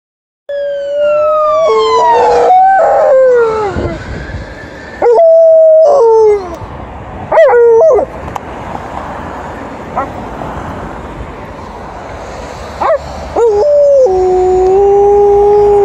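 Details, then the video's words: Female Alaskan Malamute howling during her noon walk: long wavering mid-pitched howls that slide down and then hold steady, coming in several separate loud bursts with pauses between, the last one settling on a sustained level note, over steady outdoor hiss. "2 quick howls by Alaskan Malamute during her noon walk"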